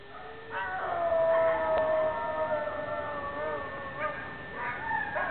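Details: Dog howling in drawn-out, wavering tones, with overlapping voices sliding up and down over about four seconds, plus a steady high whine in the background.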